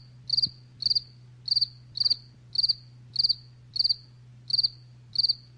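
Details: Evenly spaced cricket chirps, about one every 0.6 seconds, each a short burst of rapid pulses, over a constant low hum.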